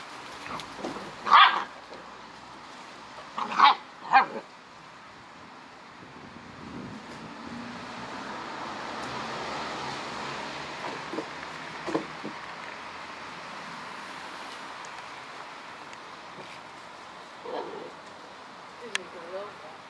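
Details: Korthals Griffon female with a litter on day 56, giving three sharp barks in the first five seconds, then mostly quiet with faint rustling and a few soft knocks, a Dutch voice speaking afterward.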